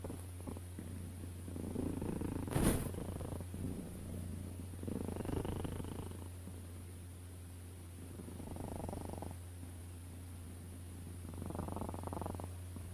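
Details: Cat purring in separate soft surges every few seconds, each a grainy low rumble, with a single sharp click near the start and a persistent low hum underneath.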